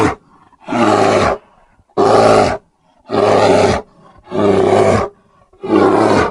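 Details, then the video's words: Grizzly bear roaring: five long, loud, harsh roars, each lasting about a second, repeated at a steady pace with short quiet gaps between them. "Grizzly sounds and photos. Grizzly bear"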